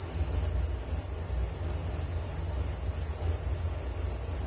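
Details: Crickets heard as nature sound for relaxation and sleep: a steady high chirping band, pulsed in quick repeated bursts about three or four times a second, with a fainter higher band above and low rumble beneath.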